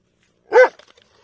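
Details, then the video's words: One sharp dog bark, loud and harmonic, followed by a few faint soft echoes or clicks. "Dog Barking"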